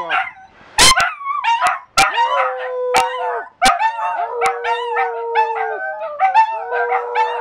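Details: Three dachshunds and one Scottish terrier howl together indoors in North Lexington, NY. Overlapping wavering, rising and falling howls mix with yips and long steady held notes, broken by several sharp loud percussive bangs.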